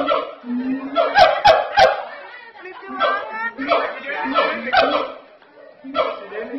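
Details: Very loud siamang calls recorded at Ragunan Zoo in South Jakarta: rapid overlapping barking hoots, several each second, layered over deeper booming tones, with a brief quieter gap midway.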